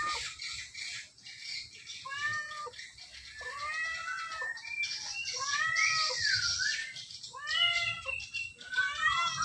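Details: Very sleepy domestic cat among many companions, comfortable at home or in its cage, giving repeated bowed meows in quick succession, some drawn out and dipping, several overlapping, with low room noise behind.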